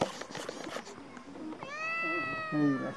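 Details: A black cat in a village talking to a person on 1 October 2023; one long drawn-out meow after a stretch of murmured background sound, then a short low voice.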